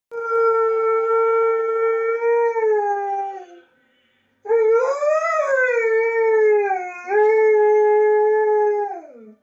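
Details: Borzoi, or Russian wolfhound, from Llanrwst in North Wales, singing along to Nessun Dorma with a long, steady, tonal howl. A short silence follows, then a second howl that swells, wavers up and down, and slides away at the end.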